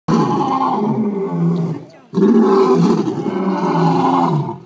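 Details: Lions calling to each other at Melbourne zoo: two long, deep, rumbling roars, each about two seconds, separated by a brief pause, with steady low throaty tone throughout.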